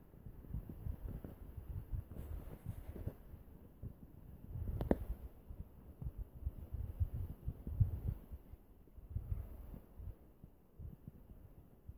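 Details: Low muffled thumps and rumbling handling noise throughout, with one sharper knock near the middle and no animal calls.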